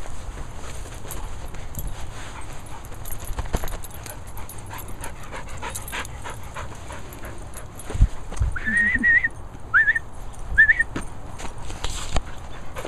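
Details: Zoe, a Sealyham Terrier dog, gives three brief high whimpering whines, each bending up and down, spaced about a second apart, after a long quiet stretch of low background rumble and scattered faint clicks.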